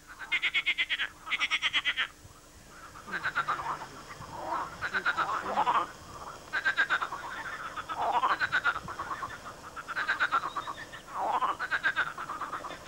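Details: Swamp frogs in a loud chorus, possibly mating season: rattling pulsed croaks in repeated bursts of about a second, some higher and some lower voices overlapping continuously.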